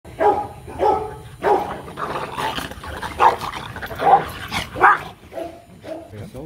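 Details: Rottweilers Marvin Gervi and Kacyno Gervi during a mating session in Hanoi, Vietnam, the male courting a reluctant female. Short harmonic barks come in quick bursts about every half second, with people talking nearby.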